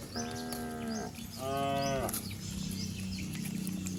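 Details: Two quick moos back to back from cattle of a herd running down a green village hill, the second higher and brighter, followed by a low droning hum and scattered bird calls.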